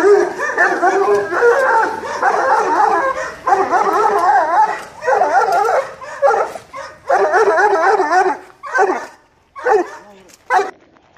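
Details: Serbian defense dog puppies, 2 months 8 days old, 75% Serbian defense dog and 25% American bulldog, defending territory and reacting to provocation; dense, overlapping high yaps and barks from several voices, with bursts growing shorter and choppier toward the end.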